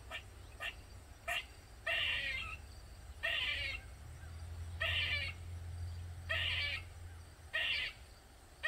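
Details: Squirrel in a Maryland backyard crying for over 45 minutes: brief clipped chirps mixed with longer harsh, wheezy cries, roughly one every one to one and a half seconds, with low engine-like rumble underneath.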